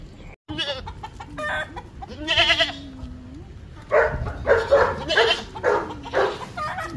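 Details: Domestic mother goat and her kid being moved to a new spot, giving wavering, quavering bleats early on, followed by a person talking and background music.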